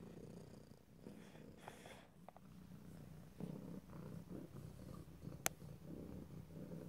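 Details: Cat purring close to the microphone in stereo, a low vibrating rumble that swells and fades with breathing, with soft rustling, a few light taps and one sharp click late in the clip.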